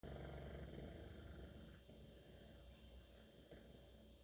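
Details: Mabel, a St. Bernard, snoring while asleep: one continuous deep rasping, rattling breath filling the whole stretch, low and rumbling with a steady pulsing texture.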